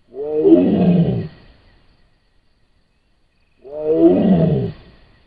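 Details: Wild Sumatran tiger roaring, recorded by a camera trap in Sumatra: two rough, deep, harmonic roars, each about a second long and falling in pitch, separated by roughly two and a half seconds of silence.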